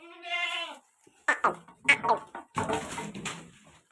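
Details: Kodi goat offered for sale at Ettayapuram, one of three animals; a single steady, harmonic bleat lasting under a second opens, then a man talks in Tamil over scattered handling noise.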